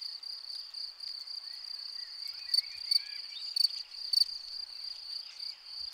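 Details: A field cricket at its burrow gives a high, steady chirping that rings on, with louder pulses standing out now and then.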